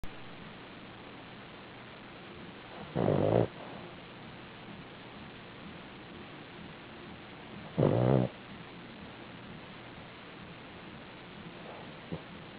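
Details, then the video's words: A sleeping dog snores: two short, broad, rasping snores about five seconds apart, with near silence between them and a quiet background. "sleep n' snore"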